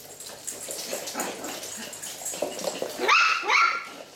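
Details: Eight-week-old Coton de Tuléar puppies playing with a ten-week-old French bulldog, giving short high yelps and whines over scuffling, with two louder squealing yelps near the end.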